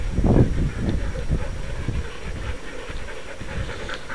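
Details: Sled dogs in the 6 Dog heat at the 2012 Wild Dog Derby race in South Australia, panting rapidly with low, breathy pulses at about four per second, one loud burst near the start, amid outdoor rumble.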